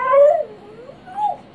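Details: Pet dog being teased at home, giving a high, tonal whine with clear harmonics: a strong note that slides downward, a pause, then a shorter rising-falling whimper; faint human voices just before and after.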